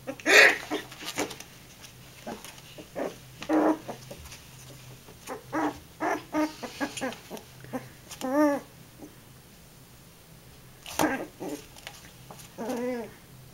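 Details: Puppy growling at a curtain indoors, a series of short rough bursts with some rising, wavering whine-like growls, separated by brief pauses, with a laugh at the end.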